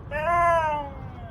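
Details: Domestic Siberian Husky grumbling at the weather utters a brief rising-then-falling howl, rich in harmonics and slightly rough at the start, fading out after under a second amid indoor background hum.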